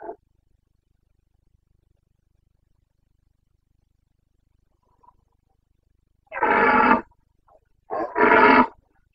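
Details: Carpathian red deer stag roaring in the Bucovina mountains during the September rut of 2022; after a quiet stretch come two loud, broad, rasping roars, each under a second, close together.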